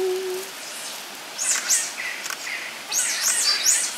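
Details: Captive giant otter family of six, including two cubs born at Chestnut Centre, Chapel-en-le-Frith, filmed 25 June 2011; brief low hum opens, then shrill wavering squeals rising and falling in quick bursts, with faint background noise.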